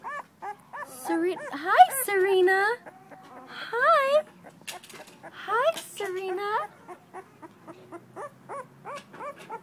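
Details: Syrena, a blue-nosed female American Pit Bull Terrier pup two weeks old, filmed 21 December 2011, whines in wavering, sliding cries, some loud and drawn out, mixed with many short soft whimpers.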